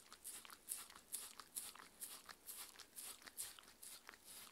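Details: Mindy, a 6-year-old Shetland Sheepdog, eating a two-course raw-diet dinner with chicken and pumpkin soup indoors; rhythmic moist smacking and crunching strokes roughly two per second, each a short bright burst.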